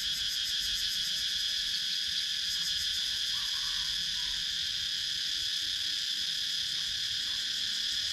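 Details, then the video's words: Continuous shrill drone of cicadas filling wooded countryside in Sakon Nakhon, Thailand, captured with a GoPro Hero 9 action camera; several layered high buzzing bands with a faint rhythmic throb, steady throughout with no pauses. "Cicadas Sound"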